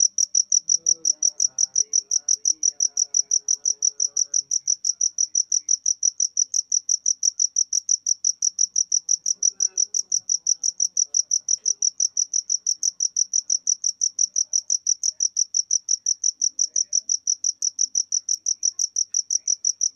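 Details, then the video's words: Cricket chirping steadily, a dense train of high, even pulses repeating about three times a second without a break for the whole stretch; faint low murmurs in the background during the first few seconds. "Jangkrik (Suara Jangkrik)"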